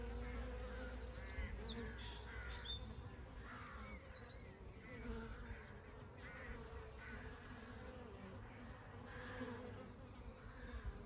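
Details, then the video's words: Summer honey bees hum in a constant low drone beneath bright, rapid trilled birdsong that is loudest in the first few seconds and then fades, leaving the buzzing and scattered faint calls. "honey bees in summer"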